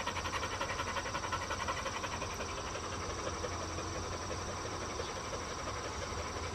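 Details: A four-year-old black female Labrador Retriever of field lines panting rhythmically while walking ahead on a flexi lead. Fast, even breaths come almost three a second over a steady low rumble and hiss.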